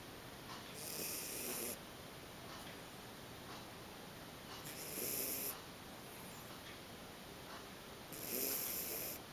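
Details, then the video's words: Bolognese dog Lily snoring in her sleep, three long hissing inhalations about three to four seconds apart, each rough and breathy with a muffled low undertone, quiet steady background between breaths. "Lily bolognese dog snoring"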